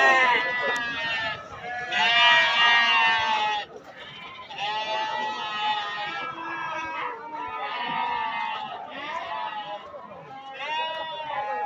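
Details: Sheep bleat at the Atpadi goat and sheep market, Saturday, 15 July 2024. Loud, shaky bleats come in bursts of one to two seconds, separated by brief quieter gaps. Some bleats are high and strained. Market voices murmur throughout.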